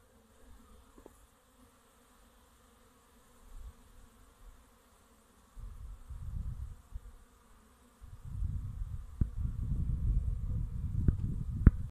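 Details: Honey bees at the end of winter, making their first cleansing flights before regular flying resumes; low, steady buzzing that swells in bursts and grows denser toward the end, with a few sharp clicks.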